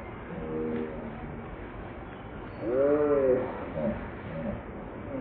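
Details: Hungry baby monkey named Leo crying and begging its mother for milk after falling from a high rock. A short wavering harmonic cry comes first, then a louder arched wail midway, followed by softer broken calls over a steady hiss.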